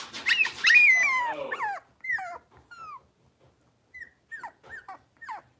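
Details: Blenheim Cavalier King Charles Spaniel puppies, a litter of five, in an indoor puppy pen; a loud high yelping burst, then short rising-falling whimpers and squeaky yips scattered over the remaining seconds.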